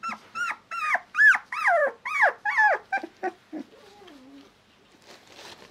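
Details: Young male Shiba Inu pup yelping in quick succession, curved high-pitched cries that bend downward, growing shorter and quieter before ending in a soft, low wavering whine and near silence.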